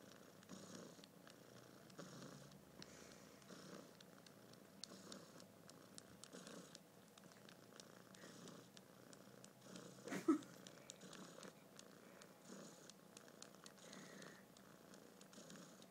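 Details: Quiet purring from a male kitten whose head is being held, a soft low rumble swelling and fading in gentle breaths, with a brief sharp click near the middle.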